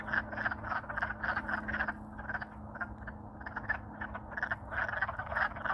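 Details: Chorus of Alaskan wood frogs courting in spring once thawed out; rapid rasping, duck-like croaks tumbling over one another in bursts, loudness swelling and dipping, a faint constant low drone behind.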